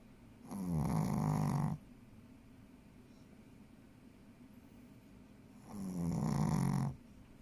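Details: Sleeping Shih Tzu named Ponzu, a mother dog, giving two long, buzzing snores about five seconds apart, each rumbling breath lasting over a second, in an otherwise quiet room.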